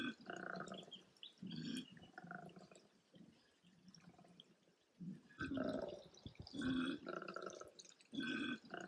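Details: Two koalas, a male and a female, clash in mating season; rough gurgling grunts and snorting bellows come in uneven bursts, some louder, with quiet gaps between them.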